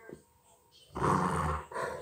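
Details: A Rottweiler gives a deep, rough, contented growl while having its ears scratched, which it loves, with people talking nearby and a TV on at Christmas.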